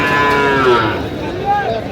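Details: Cattle calf at a livestock market in Faridpur, Bangladesh, with young bulls and heifer calves on sale, giving a drawn-out moo that slides downward, amid crowd chatter and market noise.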